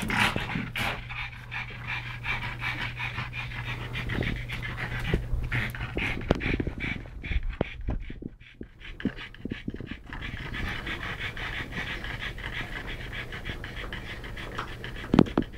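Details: Pug brothers Yogi and Mister, rescued in Malta after years caged for breeding, wrestling together; fast snorting pants with scuffles and knocks, a quieter lull near the middle, then steady rhythmic panting resumes.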